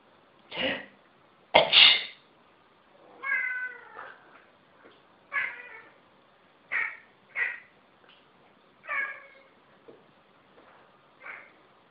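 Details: Pet cat objecting to people sneezing; a sneeze then repeated short meows, a few drawn out and wavering, others quick and chirpy, with quiet voices between.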